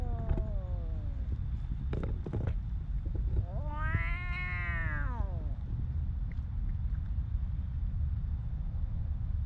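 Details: Homeless stray cat in Ras Al Khaimah, United Arab Emirates: a short falling meow, then one long arched harmonic-rich wail, with constant low rumble and a few sharp clicks behind.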